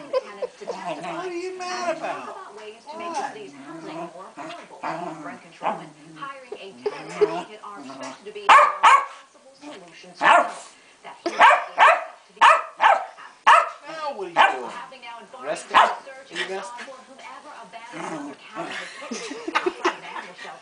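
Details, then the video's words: Pet Keeshond Pancake in a royal superfit: human talking first, then a long run of loud, irregular yaps and barks, some clustered in quick pairs, with voices continuing between them. "My beloved Keeshond Pancake has a hissy fit"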